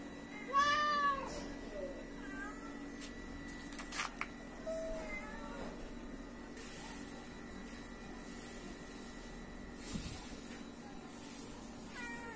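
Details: Hungry stray cats wandering outside a house and being fed: a loud, rising-falling meow early on, followed by a few fainter, shorter meows spaced across the recording over steady background hum.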